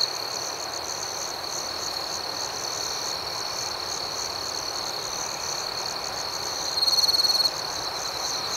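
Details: Crickets at night: an even, high, shimmering chorus runs throughout, then one louder, fast-pulsed chirping trill breaks in for about half a second near the end.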